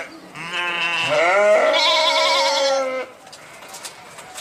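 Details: Sheep producing a drawn-out, quavering bleat of about two and a half seconds that shifts pitch midway, then quiet with faint rustling afterward.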